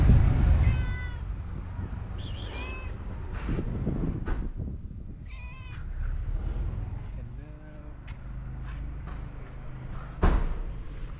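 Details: A shy stray cat reluctant to accept food: a few short meows, the first the clearest, mixed with a person's voice asking about food and low rumbling background noise.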